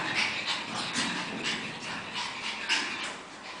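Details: Two 5-month-old Pekingese puppies, Terasroos Black Beauty and Terasroos Lion King: quick breathy panting and soft snuffling puffs in uneven bursts, with a faint whimpering edge.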